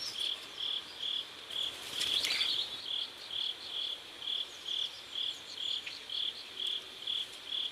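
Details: A cricket by a river at sunset in South Korea gives a steady series of high, pulsed chirps, each a short buzzy trill, repeated roughly twice a second, with brief rustling partway through.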